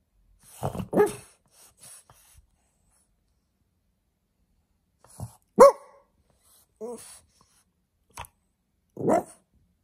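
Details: A little blue French Bulldog puppy gives short, sharp barks at irregular intervals to get attention.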